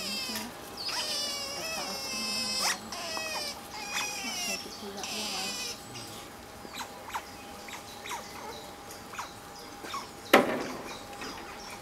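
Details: Asian small-clawed otters playing together with rocks on a peaceful afternoon, squealing with excitement: bursts of high, harmonic, wavering squeals with rising and falling pitch through the first six seconds, then scattered short clicks and a sharp knock near the end.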